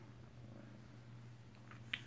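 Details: Alabama kitten purring close-up at home, 7 February 2018: an unbroken low rumbling purr, ending with a sharp click near the close.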